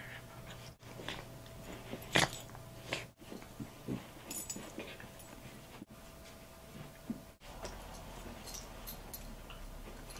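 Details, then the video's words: Two Bichon Frise dogs play fighting indoors over a toy, an older one and a second that took it; scattered short dog growls and whimpers with one sharp yelp, over a steady low electrical hum and faint room noise. "Bichon Frise Dogs Play Fighting"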